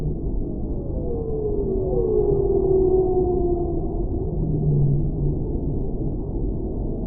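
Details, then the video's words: Whale song: long, smooth moaning tones that glide downward and loop over one another through the middle of the clip, set over a constant deep underwater rumble. "Whale Sounds"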